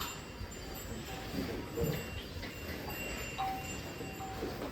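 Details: Outdoor background noise with faint ringing tones and murmured voices, no animal call heard.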